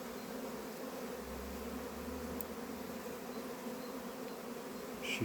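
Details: Western honey bees in the countryside of northern Iran hum in a steady, low droning buzz that blends many wingbeats into one continuous tone.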